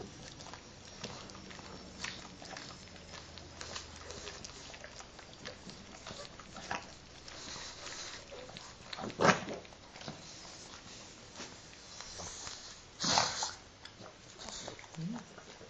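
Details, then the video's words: Two pet pugs groom each other during their shared morning wash, giving soft wet licking and snuffling sounds, a low snort-like rumble early on, and a few louder sharp smacks near the end. "Mopsis gemeinsame Morgenwäsche"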